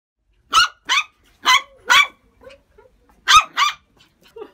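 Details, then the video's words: Puppies barking: six sharp, high-pitched yapping barks in quick clusters of two, with a pause between groups, followed by soft, faint whimpers and squeaks near the end. "Los mejores LADRIDOS de PERROS CACHORROS"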